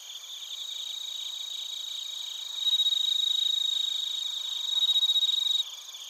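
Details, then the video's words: Bell crickets and other crickets, Narita, Chiba, Japan, recorded via TASCAM Portacapture X8. One close cricket delivers a loud, rapidly pulsed high trill in two strong stretches, separated by a softer passage, above a steady ringing chorus of others. "スズムシとコオロギの鳴き声 - Chirping of crickets"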